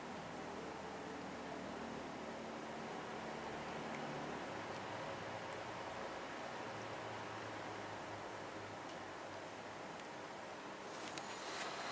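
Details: Steady broadband hiss with a low hum and faint rustling and ticks, no animal voice heard.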